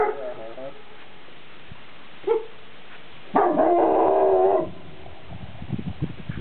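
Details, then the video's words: Shepherd dog on a mountain top giving a long baroo-ing bark to hear the echo off the peaks; one sustained harmonic howl-bark of about a second, preceded by a short yelp, with faint background noise. "Shepherd Baroo-ing"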